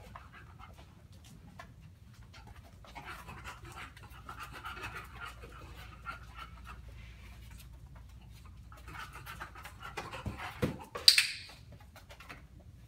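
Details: Panting from Violet, a female bulldog, during platform-shaping training: a steady run of rapid, rhythmic, breathy huffs over several seconds, ending with a loud sharp click and a thump.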